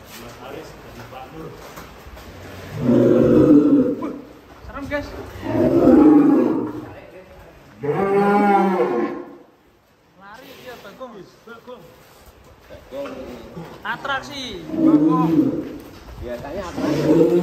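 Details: Large fattened cattle, several deep harmonic moos of about a second each rising out of background chatter, with human voices between the calls.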